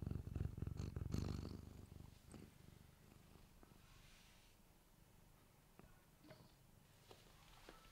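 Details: Domestic cat purring close to a microphone: a loud rumbling burst at the start, then a quieter steady low purr with soft pulsing beats and occasional faint clicks.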